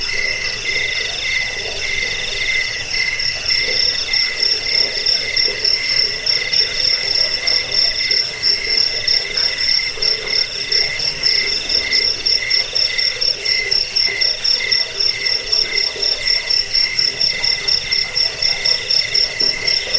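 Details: Crickets chirping, used against rats, as a bedtime sound and for teaching songbirds; a fast, rhythmic high chirp pulses about four times a second throughout, backed by a steady chorus of other insect-like callers.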